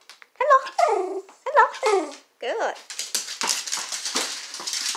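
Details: Dachshund playing with a Chuckit ball gives a run of high, whiny yelps that slide downward in pitch, four or five in quick succession, then one rising-falling whine, followed by rustling, scuffling noise.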